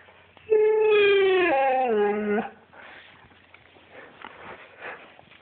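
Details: Siberian Husky giving a loud drawn-out howl indoors, starting high and steady, then sliding lower in stepped, wavering falls over about two seconds, followed by quieter rustling and breathy sounds.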